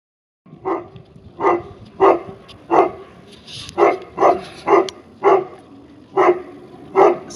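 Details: Tibetan Mastiff from a kennel in St Petersburg, Russia, barking at its own reflection; deep, loud single barks repeated roughly every half second to second, about eleven in a row, with a brief rustle midway.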